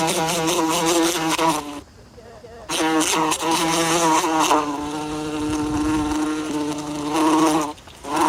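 A bee's low, droning buzz with rich harmonics, broken by one brief pause partway through.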